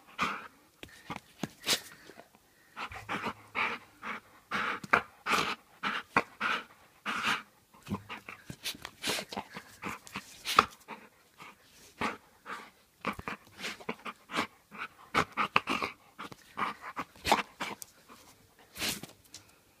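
A Bull Terrier huffs and pants in quick, breathy bursts, pausing briefly between runs.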